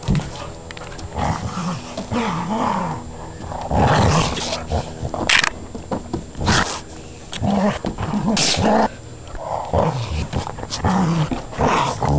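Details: An Akita and a border collie, Labrador and bull terrier cross wrestle at play, filmed on a digital still camera; throaty wavering growls rise and fall between loud thuds and bumps of the scuffle.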